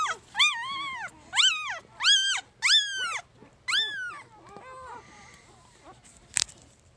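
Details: Newborn puppy three days old crying in loud, high, arching squeals about once a second, fading to softer whines, with a sharp knock near the end.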